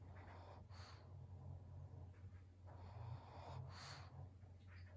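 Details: Maria, a 12-year-old senior fawn female pug in Japan, recorded on 12 November 2022, gives breathy snorting bursts near the first and fourth seconds over a steady low electrical hum.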